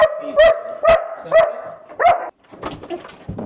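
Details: Female German Shepherd barking in excitement as the lead goes on at the start of a walk: five loud, ringing barks about half a second apart, then softer yips and scuffling, with people talking nearby.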